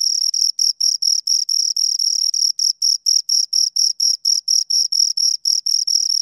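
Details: Close chirping from two crickets, shrill tonal pulses repeating about four to five times per second in a fairly steady rhythm, a faint higher tone above, otherwise silence.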